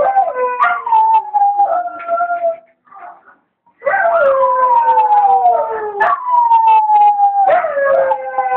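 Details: Dogs howling together while their owner was away at the shop; long descending howls with overlapping voices, broken by a short quiet gap before a fresh loud bout of howling.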